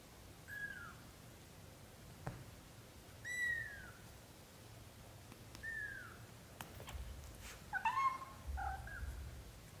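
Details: British shorthair kittens aged up to 30 days calling with clear, high, falling mews, then a cluster of overlapping squeaky cries near the end, with scattered clicks and thumps.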